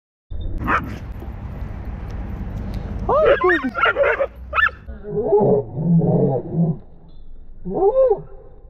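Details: Dogs fighting at a dog park, a territorial pit bull attacking a Belgian Malinois: a burst of sharp, high yelps with steeply falling pitch, then lower rough barking sounds, under loud shouting people and wind.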